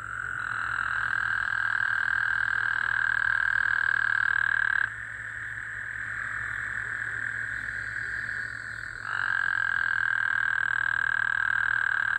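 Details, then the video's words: Gulf Coast toads heard at night after recent rain, 24 June 2024: a loud, rich buzzing trill stops abruptly near five seconds, a softer one continues, then a strong trill resumes around nine seconds. "Gulf Coast toads. 🐸 🐸 love hearing them at night 🌙"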